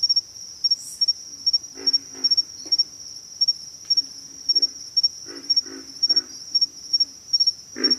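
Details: Deep, rough grunts of pig frogs, some paired and some in triplets, spaced a second or two apart, ending with one loud grunt; a continuous high insect tone runs underneath.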